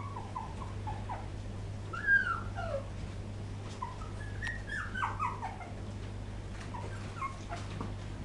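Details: Whimpering poodle puppies, 2012: a string of thin, downward-sliding whines and squeals, some overlapping as if from more than one pup, above a constant low hum.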